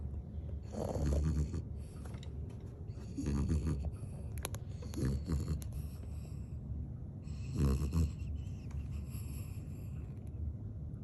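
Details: Shih Tzu Bichon dog sleeping warm and comfortable in a hoodie, snoring loudly like an old man: low rumbling snores with snorting bursts roughly every two to three seconds, plus some breathy rustling between them.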